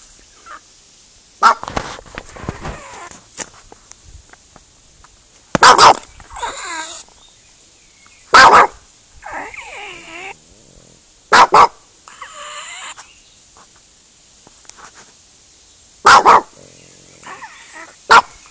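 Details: Dog giving odd, unusual barks: short loud broadband bursts every few seconds, each followed by softer wavering whines, over a steady high background hiss.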